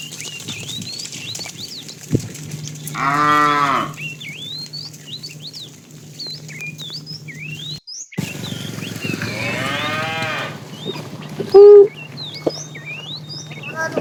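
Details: Afternoon herding of tame cows, a fat cow calling the female: two moderate, wavering moos about six seconds apart amid steady high bird chirps and a low background hum.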